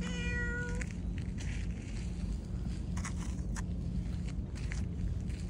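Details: Black-and-white tuxedo (hachiware) cat meowing while leading its owner along: one clear, steady-pitched meow with rich harmonics in the first second, then rustling, soft clicks and footstep-like taps over a constant low hum.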